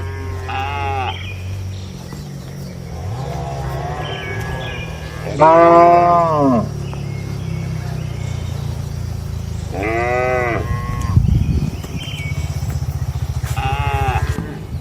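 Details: Tame cattle kept in a farm barn, daily routine: short arched moos spaced irregularly, several animals calling, under a persistent low mechanical hum and a brief thud near the end.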